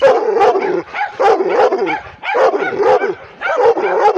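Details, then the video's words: A pit bull crossed with Redbone Coonhound, female, barks furiously toward the camera: dense, loud, raspy barks running nearly together with whiny overtones, a brief lull near the two-second mark. "Pitbull (Redbone Coonhound mix) aggressive barking"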